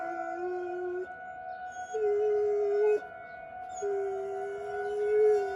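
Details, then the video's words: Pet dog outdoors howling during a weekly tornado siren drill in Rochester, Minnesota; sustained low howl tones that step up in pitch, sounding over the steady, layered wail of the siren. "Dog howling at Tornado siren drill"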